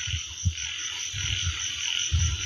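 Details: Frogs croaking at night among rice fields in Isan, Thailand, heard from a terrace: short, deep, low croaks in irregular bursts roughly every half second, over a steady high, shrill insect chorus.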